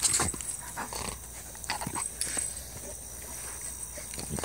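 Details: A male Treeing Walker Coonhound almost four years old howls and bays playfully, giving short, loud bursts of voice, rough and broad-toned, in quick uneven succession.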